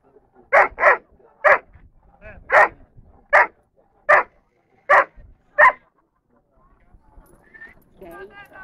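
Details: Junior Dobermann Zidan (Keyn) della Nuova Dolce Vita, third in the juniors class at the A.I.A.D. national gathering in Rome, 21 March 2010, barks eight times in quick, slightly uneven succession, then falls quiet as a voice speaks.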